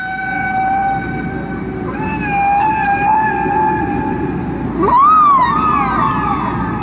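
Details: A humpback whale song, long repeated rhythmic sequences whose patterns last about 15 minutes before repeating, with long held moaning tones, then a sweeping rise that falls away again.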